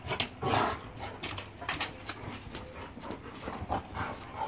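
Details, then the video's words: German Shepherd Boxer mix dogs playing together, recorded January 26, 2021; short growly vocal bursts near the start and end, mixed with scuffling clicks and thumps from the rough play. "German shepherd boxer mix. Dogs playinng."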